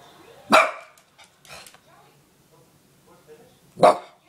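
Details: Female Bichon Frise giving two loud, abrupt barks about three seconds apart, with faint soft huffs and quiet household sound between them.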